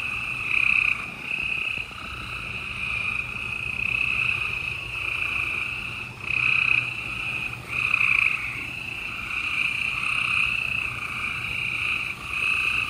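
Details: Spring night in Houston, Texas (28 April 2020) with a busy gray treefrog chorus: continuous high trilling from several frogs, louder nearby trills bursting out every couple of seconds over the background.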